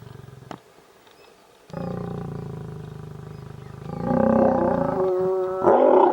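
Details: Lions during mating in the forest of Gir National Park, Sasan Gir: a quiet start, then a loud low harmonic roar that swells and grows harsher toward the end.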